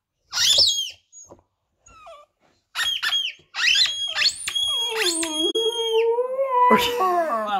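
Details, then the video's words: Border Terrier pup indoors talking back to his toy: high squeaky toy notes at first, then the pup answers with a long, wavering, rising-and-falling howl lasting about two seconds, followed by a higher yelp. "Border Terrier Pup speaks to his toy"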